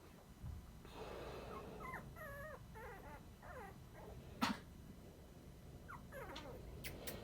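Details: Dachshund puppies, 20 days old, indoors, giving a string of thin, wavering high whimpers and squeaks, rising and falling quickly, with a sharp knock midway and faint rustling.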